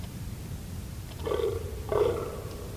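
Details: A fallow deer (Dama dama) gives two short, hoarse, nasal calls about half a second apart, mid-pitched with buzzy overtones, over a low background rumble.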